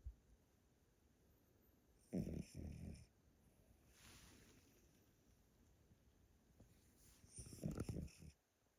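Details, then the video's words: Elderly Pomeranian named Yotaro asleep at a relative's home in Japan, snoring loudly: two rough, low, rumbling snores about five seconds apart, each breaking into two or three throaty pulses, with quiet room hiss between them. "Pomeranian that snores loudly～おじいちゃんポメラニアン与太郎のぐぅぐぅ動画～"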